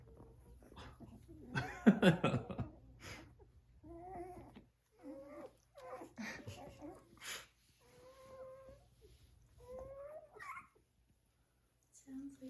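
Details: Cavalier King Charles Spaniel puppies indoors, vocalizing while a man makes bird calls at them, sounding as if they mimic him: short whines and yelps come in bursts, mixed with whistled calls, a loud scuffling noise and occasional speech.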